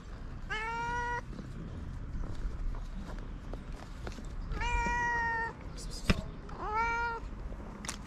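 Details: Pair of hungry stray cats living on a Moroccan street; three plaintive meows spaced about two seconds apart, each level then dropping, with scattered taps and background rumble.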